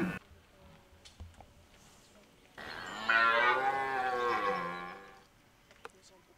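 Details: A red deer in rut at De Hoge Veluwe park, 2023, gives a single deep, drawn-out roar of about two and a half seconds, rich in harmonics, first rising and then falling, after quiet woodland background.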